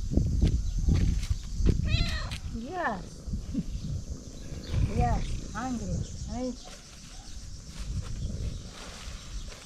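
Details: Female domestic cat, dirty and in need of a bath, meowing for food and attention: a series of short rising-and-falling harmonic meows, several in quick succession, over low rumbling background noise.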